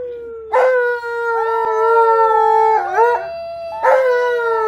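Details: Tonka, an Alaskan Malamute, howls with delight as visiting relatives and a neighbor keep him company; long, steady, tonal howls hold level for over two seconds, then a wavering break and a fresh howl starts up.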